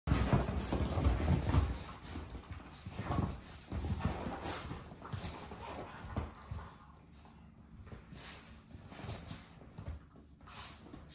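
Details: Basenji pups playing on a couch, the small one bouncing end to end with the zoomies, give soft whimpers, pants and low grumbles over heavy thumping and rustling.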